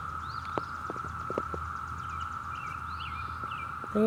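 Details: Brood V periodical cicadas in June 2016 in Ohio, at a former Girl Scout camp woodland with freshly emerged empty shells and live adults on leaves and grass, give a steady, droning chorus holding one pitch without a break.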